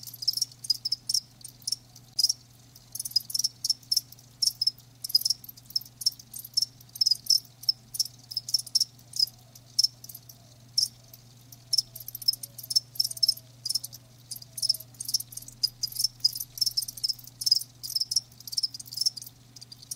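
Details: Crickets, live, keep up a bright high chirping, sharp pulses packed closely with brief gaps, steady throughout; a quiet electrical-sounding hum runs low beneath.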